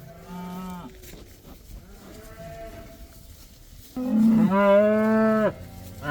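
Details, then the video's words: Cows let outside for the first time, part of a herd of about 80, one black: a drawn-out harmonic moo opens, softer overlapping moos follow from other cattle, then a loud, rich moo about one and a half seconds long near the end. "These cows are allowed to go outside for the first time! They love that!!"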